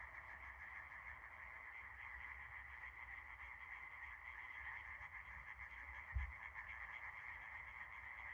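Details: Frogs calling together at night under a starry sky, a dense, continuous chorus of rapid trilling croaks blending into a steady buzzing wall of sound, with low background rumble and a single brief thump near the end.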